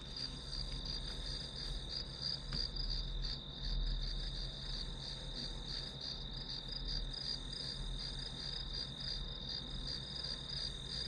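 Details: Grass insect chorus as study white noise: sustained shrill ringing with soft irregular pulses, one short click early on, and a constant low hum in the background.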